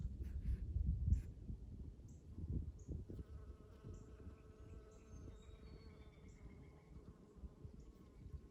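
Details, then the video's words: Spring honey bee buzzing: after a few seconds of low rumbling, a steady humming drone with clear tonal overtones sets in and continues to the end, with faint high bird chirps above. "Relaxing Sounds of Honey Bees"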